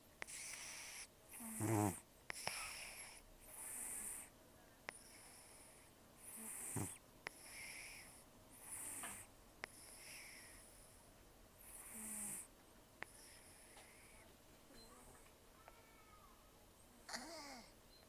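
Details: Sleeping rescued cat, estimated 10 to 14 years old and nearly toothless from gum disease and years outdoors, gives harsh, wheezy snores with loud nasal breathing. Each breath is a raspy burst, roughly every two and a half seconds, occasionally with a snorting catch.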